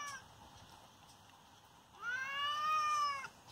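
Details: Injured father cat giving a single drawn-out, clear meow that rises slightly then falls, after a quiet stretch of low room noise.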